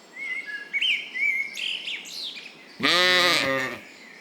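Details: Lambs grazing in a cool green forest: high, thin birdsong chirps open the passage, then one loud, quavering lamb bleat lasting about a second takes over before fading.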